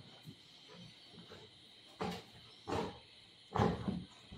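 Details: Buzo the golden retriever plays with its mother. After a quiet start, three throaty, rasping growl bursts come about a second apart, the last one longest and loudest, over a faint constant hiss.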